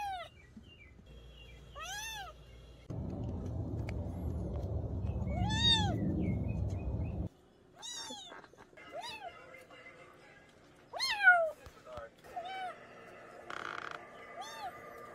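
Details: Cat uttering many short, sharply falling mews at irregular intervals, partly masked for several seconds by a broad rushing noise, with faint background sounds; meant to scare off rats in the countryside.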